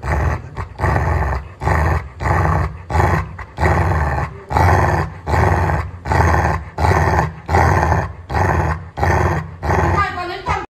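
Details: Pet Labrador Retriever growling while being told to show its teeth: a low, rough grumble broken into about thirteen bursts, one roughly every 0.8 seconds, steady throughout.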